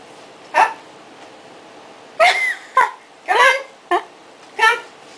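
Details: Maddy, a three-month-old female puppy who has just finished four weeks of puppy training, gives six short, harsh yapping barks indoors, spaced irregularly over about four seconds, between spoken training commands.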